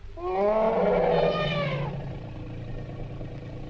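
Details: Asian elephant giving one drawn-out, brassy call lasting about two seconds, rich in harmonics, rising slightly then sliding down before fading.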